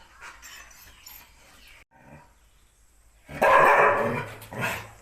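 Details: Thai Ridgeback, a male dog very possessive of his owner, waiting for her to let him out to guard the house; quiet background, then a loud, harsh bark burst followed by a shorter second bark near the end.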